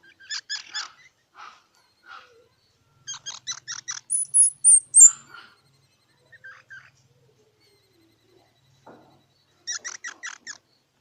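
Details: Squirrel calling in short clusters of quick squeaky chirps, three to five notes each, separated by silent gaps, plus a few thin, very high whistles near the middle.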